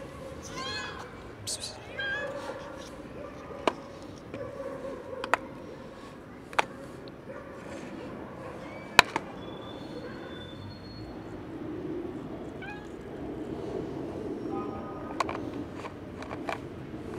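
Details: Hungry kitten jumping onto a bench for breakfast, giving repeated short meows in the first seconds, with sharp clicks and clatter, faint voices and background noise afterward.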